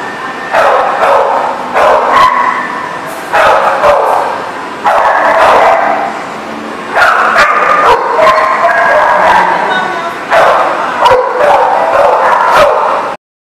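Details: Dogs barking, recorded on 31 August 2018: loud, dense, overlapping bark bursts, each lasting about one to two seconds, coming in waves with brief gaps between them, loud enough to sound saturated.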